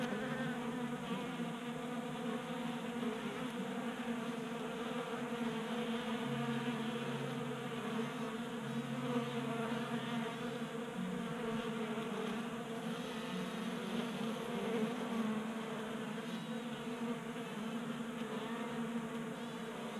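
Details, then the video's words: Honey bees gathered at a 3D printed bee feeder in Colorado during a 60-degree January day; long unbroken chorus of buzzing wings, rich layered hum with occasional nearer bees passing. "45 Minutes of Honey Bees Feasting from 3D Printed Bee Feeder ASMR"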